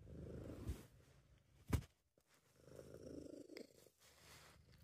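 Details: Softer purring from Sabu, a happy, relaxed British Shorthair cat; a low rumble in two stretches separated by a pause, with a sharp click or tap partway through.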